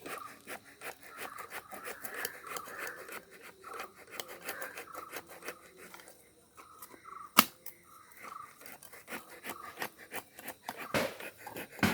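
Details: Rhythmic scraping and rubbing with scattered sharp clicks at a Kerala farm during honey extraction, with no animal sound.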